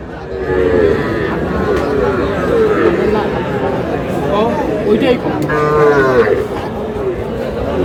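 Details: Sahiwal bull at a farm in Comilla, Bangladesh, recorded 25 April 2026 during a purchase; several drawn-out, level moos from cattle mixed with steady human talking and crowd chatter.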